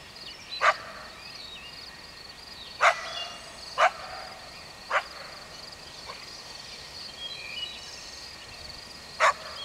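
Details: A coyote gives six abrupt barks at uneven intervals of one to three seconds over a steady high-pitched background hum, with a few soft chirps between them.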